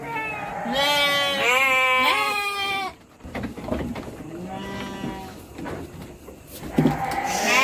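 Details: Several three-month-old Garut petet sheep on their way to Purwakarta, Indonesia, give rapid overlapping quavering bleats in the first three seconds, then fainter bleats and low noise follow.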